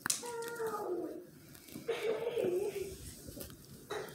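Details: Miniature Australian Shepherd puppies indoors, giving two drawn-out, high whines that slide downward, the first lasting about a second, the second wavering before it falls, followed by a short yelp near the end, with faint room noise.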